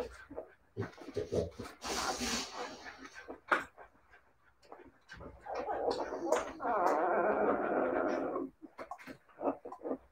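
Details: Siberian Husky puppies give scattered short whimpers, then a sustained, wavering whine-howl lasting about two seconds before the yelps break up again. Faint voices are heard in the background.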